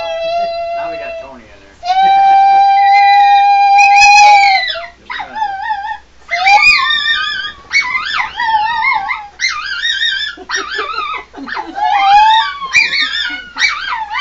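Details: A pet dog singing along with its owners, giving long sustained howls that rise and waver in pitch, then a run of shorter wavering yowls with rising and falling slides, in a small indoor room.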